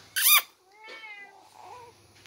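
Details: White Persian cat playing with its newborn brother; a sharp, brief burst opens, then two soft, thin harmonic mews follow, the first drawn out and gently falling, the second shorter and wavering, with quiet background hiss.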